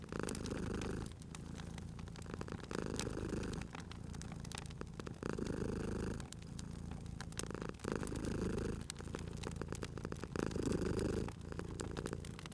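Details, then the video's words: Domestic cat asleep near a crackling fire, purring continuously in a low vibrating drone that pulses with each breath about every two and a half seconds, while burning logs snap and crackle over it. "Cute Purring Cat at a Crackling Fireplace"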